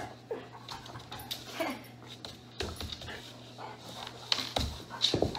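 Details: Snickers, a pet dog at home during its owner's squat workout, gives short, uneven whimpering and panting bursts with a few sharp yips scattered over several seconds, over a low steady hum and some rustling.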